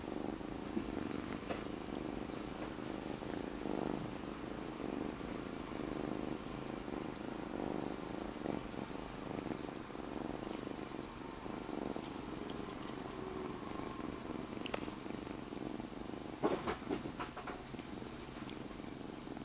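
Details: Newly rescued kitten purring while lying on its owner's belly, recorded about a year earlier indoors; a steady low rumbling purr runs throughout, with faint rustling and a couple of brief knocks near the end.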